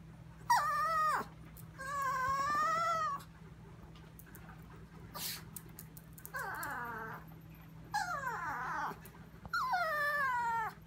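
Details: Chihuahua named Sophia whining at 2am in the kitchen while staring at something; five drawn-out, high, harmonic whines, some falling in pitch, others held level with slight wavering, separated by quiet pauses, a faint steady hum beneath.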